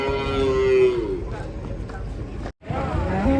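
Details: Cattle arriving at a holding pen give a steady, level moo that bends downward at its end, followed by murmured voices and a brief dropout, then the start of another low call.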